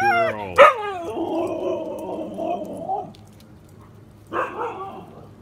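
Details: Female Siberian Husky talking back when scolded: a sharp yelp, then a long drawn-out moaning grumble lasting about two seconds, and a shorter grumbling whine later; low hum behind.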